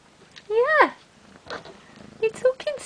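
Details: Bengal kittens just over two weeks old, the babies of Ariel and Dream: one loud, arching mew that rises then falls, followed by a few short, softer mews mixed with a person's voice speaking nearby.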